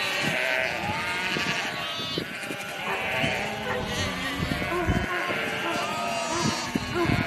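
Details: Hundreds of sheep in a herd being shepherded by dogs, with shepherds around: many overlapping wavering bleats of varied pitch sounding continuously, with a steady background murmur.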